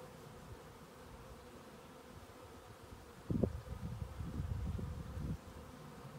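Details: Western honey bees on the move, relocated from one spot to a lower one, give a low droning buzz that swells for a couple of seconds, then fades.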